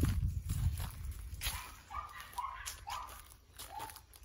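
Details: Yoichi, a tricolour male Cavalier King Charles Spaniel from Fukuoka, Japan, cries like a cat at the peak of excitement during play: short, clear mewing notes, rising then falling, repeated about every half second over low thumping footsteps.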